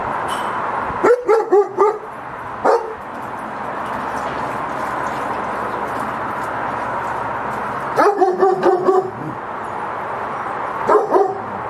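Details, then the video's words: German Shepherd security guard dog in Cambodia barking in short bursts of three or four sharp barks, with pauses of several seconds between bursts, over a steady background hiss. "Best security guard dog are German shepherd [barking]"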